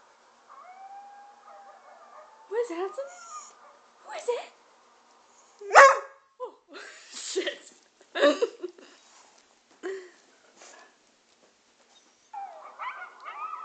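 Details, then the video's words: A two-year-old English springer spaniel howls at a video of coyotes in drawn-out, wavering tones, answering the coyote howls amid human voices. "Hudson Howling At a Video Of Coyotes"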